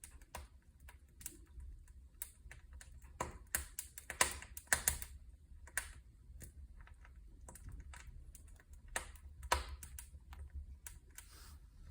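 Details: Sharp, irregular crackling and tapping clicks over a low steady rumble, like a wood fire burning, with no clear animal voice.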